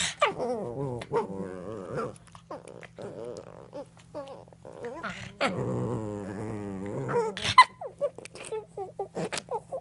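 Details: Cavalier King Charles Spaniel puppies wrestle in play, growling, whining and yipping in a run of odd, squeaky vocal noises.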